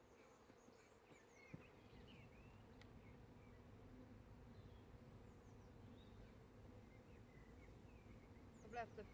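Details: Swarm of honey bees, split from an allotment hive group, landed on an allotment garden in May 2017. Continuous low, even droning hum throughout, with scattered small bird chirps and twitters above and a brief knock near the end.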